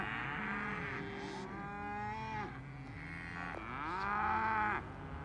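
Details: Multiple cows moo together, steady drawn-out lows with bending pitch overlapping through the whole stretch, one call swelling louder near the end.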